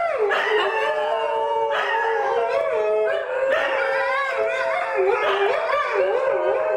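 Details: Harmonic howling from Darwin, a New Guinea singing dog, under temporary care: long held tones with several overlapping voices, new swoops starting every couple of seconds, ending in rapid wavering warbles.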